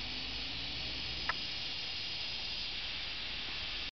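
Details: At Maruyama Inari Shrine in Kamakura, Japan, on a summer day in July 2007, cicadas keep up a steady, shrill hissing wall of sound, broken only by a brief click just after one second, before cutting off abruptly.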